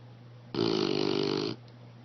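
An English Bulldog gives one loud, rasping snore lasting about a second over a steady low hum.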